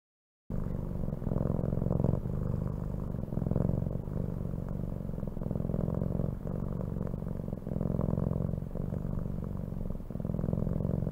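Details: Domestic cat purring steadily after a brief silent start: a low, continuous, pulsing rumble that swells and eases with each breath every second or two, with a faint woman's voice in the background.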